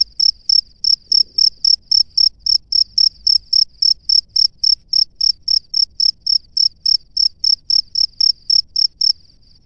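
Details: Male cricket at its nest calling a female: a long, regular series of loud, sharp chirps, about three each second, continuing without pause over a quiet background.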